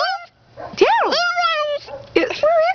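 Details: Paisley, a pet dog cared for during her owners' absence, gives whiny, speech-like vocalizations: swooping rising-and-falling tonal yowls with harmonics, interspersed with a woman's voice prompting her to talk.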